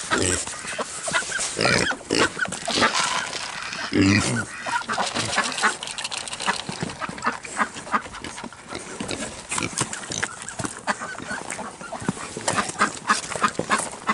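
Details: Spoiled Kunekune pigs during an evening feeding, grunting and snorting in a dense, noisy run of rough, broadband bursts with snuffling and chewing-like clicks throughout.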